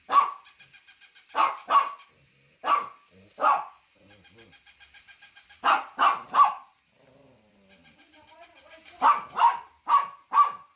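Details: Dog barking loudly in short bursts of two or three sharp barks, separated by a fast, regular, rattling ticking sound that comes and goes.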